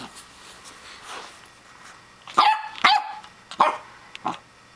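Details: Pembroke Welsh Corgi puppy barking at a plastic toy hedgehog: after a quiet start, four sharp, harmonic yaps come in the second half, spaced under a second apart, with a person talking to the pup.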